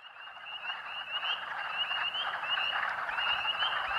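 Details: Spring peepers in a chorus of thousands at Rothrock State Forest, Huntingdon County, Pennsylvania, March 11, 2012, audible for almost half a mile: dense overlapping high peeps with short upslurred whistles repeating over a steady rushing wall of calls.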